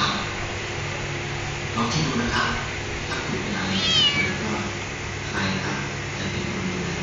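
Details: Three sibling kittens kept at home in Bangkok, Thailand, awaiting adoption; a few short, high meows, one a brief descending squeak, heard over steady background hum and a person talking.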